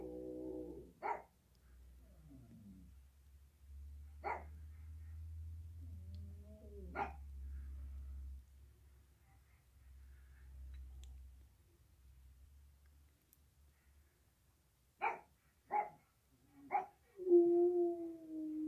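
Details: Eight-year-old American bulldog howling like a coyote, the first time it was heard to howl: a brief tonal wail opens, then sharp single yelps come every few seconds with quiet gaps, ending in a steady sustained howl over a low constant hum.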